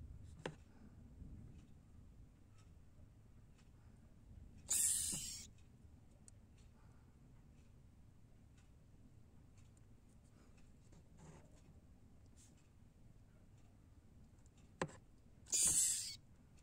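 A young leopard gecko gives two brief, harsh, hissing squeaks about ten seconds apart in a quiet room.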